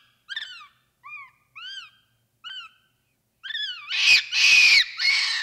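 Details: Capuchin monkey sounds: several separate high, arched whistled calls with pauses, then a burst of loud, harsh, rasping screams at the end.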